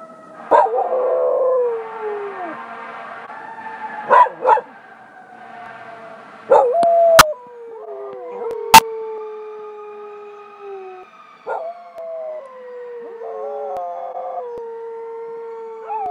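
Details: A golden retriever–duck toller mix that recently learned siren howling joins its Buhund-mix companion, a strong howler. Wobbling, descending howls overlap in several voices, with short yelps at the starts and two sharp clicks midway.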